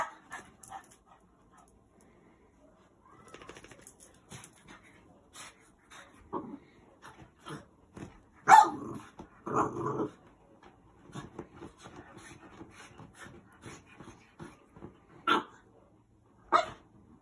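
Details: A rescued 5-6 month old French Bulldog puppy protests bedtime, staying up destroying his bed, with irregular snorting grunts, short whines and the odd muffled yelp.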